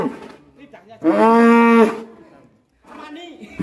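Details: Black bull described as raging and mysterious, from Alas Purwo village: one loud, steady, harmonic moo lasting about a second, with men's voices speaking before and after it.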